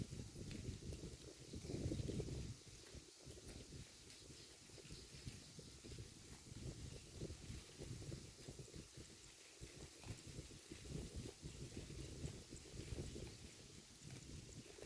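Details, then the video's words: Grass being torn and chewed by a grazing herd of cows, steady low rustling crunches about four a second, a louder patch near the start, then an even munching texture throughout. "The Sound of a Herd of Cows Eating Grass"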